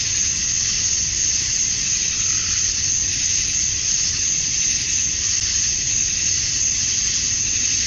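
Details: At dusk on a Georgia summer night, male cicadas chirp to attract females, making a continuous piercing high drone with slight pulsing swells in loudness and a faint low hum beneath.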